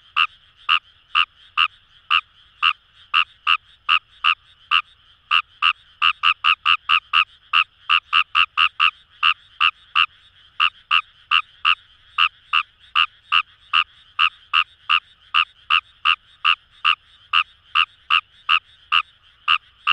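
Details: Kawamura's rice frogs (Fejervarya kawamurai) calling in paddy fields along the Kamo River, Itoshima, Fukuoka, Japan: a dense, fast run of short, sharp croaking notes, about two or three each second, overlapping into a steady chorus with a faint background hum.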